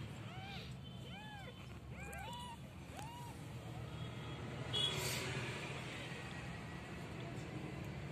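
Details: Meowing from a street cat in a warm North African village: five quick arched mews packed into the first three seconds, then quiet meowing stops while a low engine drone continues and a brief hissing burst sounds midway.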